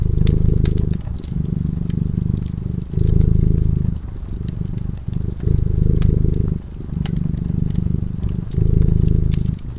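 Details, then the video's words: Domestic cat purring while asleep in front of a fireplace: a deep, rumbling low purr that swells and fades in breathing cycles of roughly one to two seconds, with sharp crackles and pops from the burning fire throughout. "Purring cat"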